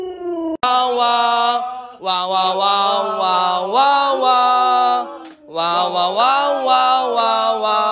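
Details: Luoluo, a pet Alaskan Malamute, reacts with howls while the owner lies sick in bed. Three long, sustained, strongly tonal wails that slide upward and waver, separated by brief pauses, with no other sounds.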